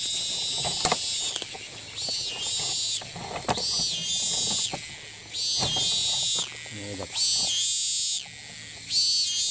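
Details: Thai cicada that keeps calling despite repeated flights, restarting its song the moment it lands; recorded from afar. Harsh, hissing buzz in bursts about a second long, with short gaps, repeated roughly every two seconds. Faint clicks and a brief lower sweep sound between them.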